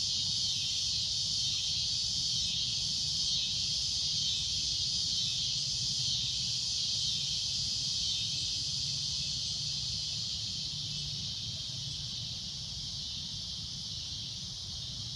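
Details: A cicada drones at sunset, its loud, shrill, continuous high buzz never pausing and fading only slightly toward the end, over a low, steady background rumble.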